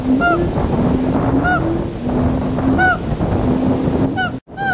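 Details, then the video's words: Siamangs singing over a rushing, noisy background: clear ringing whoops roughly every second and a half alongside sustained low hooting tones, with a brief dropout near the end. "Siamangs singen"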